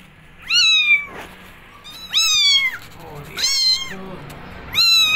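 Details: Kittens wanting to go outside, meowing insistently: four loud, rich meows in about five seconds, each held briefly then sliding down, close to the microphone indoors.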